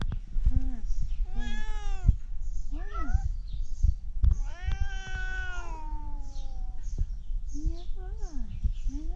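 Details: A tabby cat gives a string of short and drawn-out duck-like meows, rising and falling in pitch, apparently asking for food.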